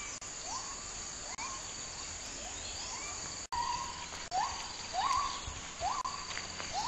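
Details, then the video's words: A distant white-handed gibbon (Hylobates) howls in rainforest in Kedah or Perlis, northern Malaysia, with rising, hooting notes about once a second over steady insect buzz. "Travel Naturewalk Birding Raptor Gibbon howling in rainforest"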